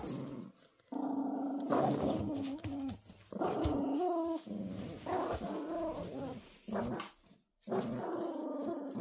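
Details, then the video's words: Toy Poodle puppies growling as they play tug-of-war, sustained rough low growls with occasional rising whiny tones, nearly continuous with short breaks. "강아지들이 줄다리기를~!!! 조금한게 성질이장난 아니네^^!!!!!!"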